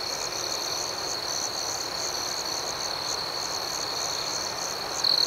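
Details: Nighttime cricket chorus: an unbroken, high, thin ringing trill with quick pulsed chirps repeating over it at an even level, ending in a short louder burst.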